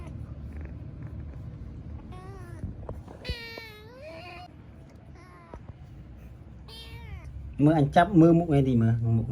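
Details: Young kitten playing meows repeatedly: several thin, wavering, high mews spaced a second or two apart, some rising at the end, with a quiet room background and loud Khmer speech taking over near the close.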